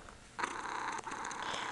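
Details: Brief, rough, continuous rumble from a female Ragdoll kitten named Punkin nestled with her owner. It starts suddenly after a quiet moment and holds steady.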